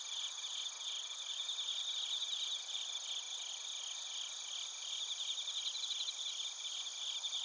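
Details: A chorus of bell crickets and other crickets in Narita, Chiba Prefecture, Japan, captured on a TASCAM Portacapture X8: softer overlapping shrill trills and quick pulsing chirps rising and falling over a continuous high insect hum.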